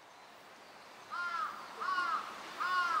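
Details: Captive California sea lions at Higashiyama Zoo and Botanical Garden, Japan, on 12 September 2023, a group led by the boss Felix; three tonal, arched, mid-pitched calls about seven tenths of a second apart, over faint background hiss.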